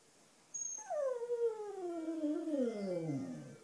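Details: Black female pet Cocker Spaniel howling along to wind instruments, especially clarinet: one long, smooth harmonic howl that starts mid-pitched and slides slowly downward for nearly three seconds, ending lower and wavering. Quiet indoor background.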